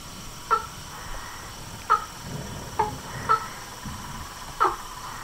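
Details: Frogs, toads and treefrogs at a pond in front of a house veranda, recorded at nightfall: short, clipped calls spaced about a second or more apart over a steady faint background hum.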